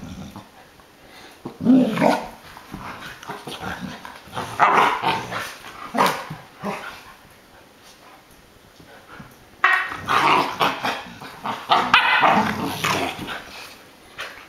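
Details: Adult American Akita Tomo playing with her new puppy brother Shima; rough play growls and gruff barks come in clustered bursts, with a quiet pause midway before another loud run of growling.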